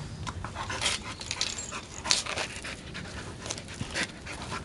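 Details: Norwegian Elkhound born 31 May 2004, kept in Japan, playing with a blue toy egg indoors; quick breathy panting bursts come in uneven rhythm, with a few brief sharp clicks or squeaks mixed in.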